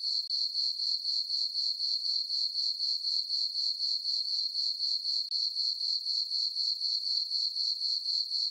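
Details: On a peaceful summer night in a farm meadow under a full moon and dark skies, crickets keep up a thin, high, rhythmic chirping at about four pulses a second, with one brief dropout.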